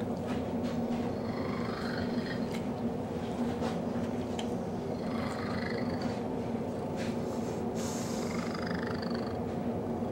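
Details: Pet cat making a very strange purr while snuggling with a dog; continuous rough low purring throughout, with brief higher squeaky, wavering chirps rising over it every few seconds.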